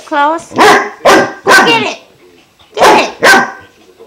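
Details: A 5-month-old German Shepherd puppy named Klaus barks at a newly offered water buffalo horn, five loud harsh barks in two groups after a short high whine, with a woman's coaxing voice faint between.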